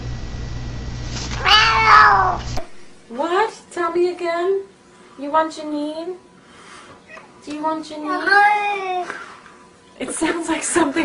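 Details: A talkative domestic cat answering a person: a rapid series of short, chirpy, upward-bending meows with varied pitch, interleaved with human speech and background hum.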